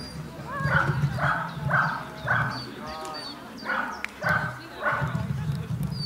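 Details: Dog named Cheetah Oet de Poeterie at the KG Sirius agility Jumping 1 competition, giving a run of about seven sharp, harmonic barks spaced roughly half a second apart, with a short break midway, over a steady low rumble of background noise.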